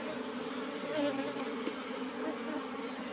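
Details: Asian honey bees (Apis cerana) kept in an old-style wooden box, disturbed during honey harvesting; a soft, steady low hum with a faint brief tonal whine near the start.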